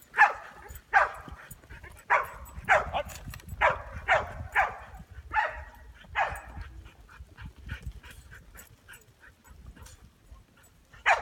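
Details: Barking from Ronin, a Chow mix working sheep: short, bright barks come in an uneven string through the first six seconds, then thin out into quieter scattered yelps with one loud final bark.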